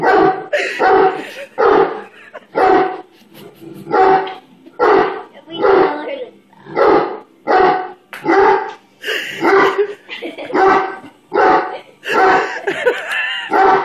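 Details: A 135 lb Great Dane, scared of a bubble blower stick, barks steadily and loudly, about once a second, for around fourteen seconds. The rhythm is slightly uneven, and a few sharper, higher barks come near the end.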